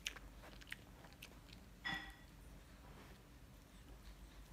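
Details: Crunching of a dental stick by Mylly the Shih Tzu: scattered sharp bite clicks, one louder crack near the two-second mark, then quieter softer chewing.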